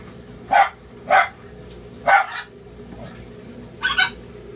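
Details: A sugar glider, with newborn young just born, gives short, sharp yapping barks, four in a row about a second apart.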